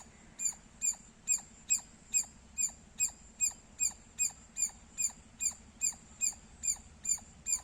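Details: Loud squirrel chirps, each a brief high, slightly downward-bent note, given in an even series of roughly two per second against a quiet background.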